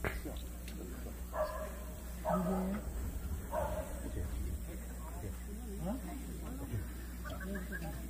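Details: Jindo dogs at the 66th Korean best Jindo dog selection contest, a show of the Korean Jindo Dog Association: a few short, harsh barks come at about one-second gaps amid crowd chatter, handlers' voices and steady background hum.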